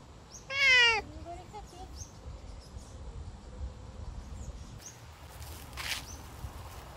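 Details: Savannah cat out on a summer walk gives one loud, strained meow with rich overtones near the start, then a few faint shorter calls, over outdoor ambience with distant bird chirps and rustling.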